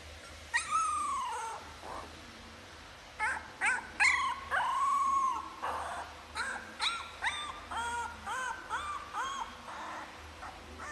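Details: Puppies trying to make adult noises: high, whining whimpers that bend up then down, followed by a run of short, sharp yips and squeaky barks repeated roughly every half second.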